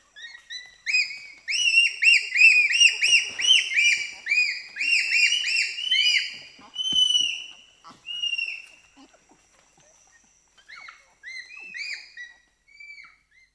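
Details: Shrieks from a group of four to six pygmy chimpanzees (bonobos) offered sugar cane. Many high, piercing, arched cries overlap rapidly for about nine seconds, then scattered shorter squeals follow more quietly.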